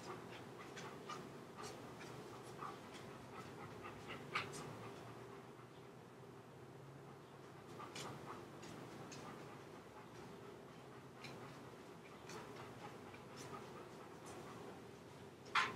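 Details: Chocolate Labrador named Leo, home alone and getting into the computer room, recorded on a home camera; soft rapid breathy puffs repeat steadily about three times a second, over a low indoor hum.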